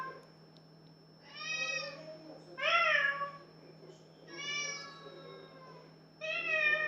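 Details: Pet cat singing a series of four drawn-out, rich meows, one rising and falling sharply, separated by short pauses; steady low hum and faint high whine in the background.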